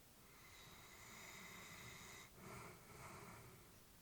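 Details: Elderly Labrador Retriever dozing at home, a slow hissing breath with thin whistling tones, a brief stop, then two soft snuffling breaths against steady low room noise.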